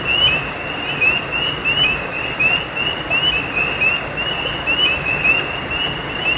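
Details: Frog chorus by a brook, with bright, brief chirps rising a little at each onset and following one another in quick, uneven succession above a soft, continuous wash of flowing water.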